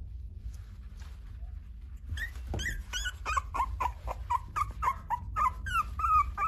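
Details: After a quiet start, a French Bulldog kept by an Okayama breeder in Japan whines in rapid, repeated short yips, each a bright pitch-bent cry, running almost without a break through the last four seconds.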